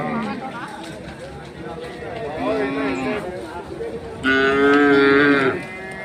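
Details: At the weekly Monday cattle fair of K G Temple, Gubbi taluk, Tumakuru district, Hallikar cattle give a brief low moo, then a loud, sustained, even-pitched bellow of over a second, amid market murmur and voices.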